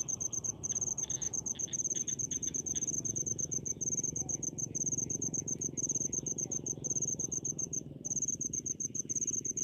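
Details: Crickets in rice fields produce a continuous high rapid chirping, with short pauses, over a louder low rumbling background and a faint mid-pitched squeak early on.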